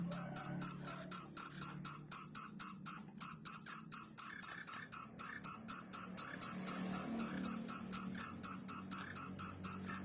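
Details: Crickets calling in the morning, a continuous run of shrill, tinkling pulses repeated several times a second without pause, over a quiet low background murmur.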